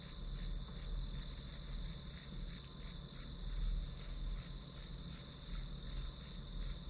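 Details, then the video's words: High, pulsing chirps of a grass insect repeat about three times per second against a constant shrill background band and low hum, recorded as white noise for study. "풀벌레 소리"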